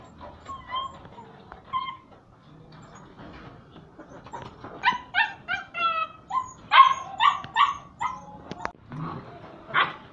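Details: Puppies playing and play-fighting together with their mother and other puppies, barking as they play: irregular high yips and short barks, sparse at first, then a quick run of sharp barks about two per second, with scuffling between.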